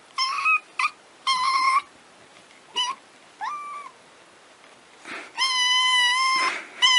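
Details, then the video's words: Domestic cats or kittens meowing repeatedly: a series of short, high, thin meows, some bending upward, and a longer steady cry near the end, with gaps between calls and faint Spanish speech nearby. "miaulements de chats et de chatons"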